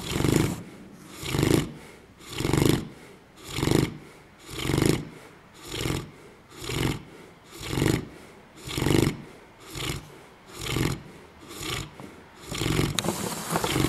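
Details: Loud, regular snoring from Buddha, a dog fast asleep: rough, growling breaths that rise and fall about once a second, fourteen pulses in a steady series.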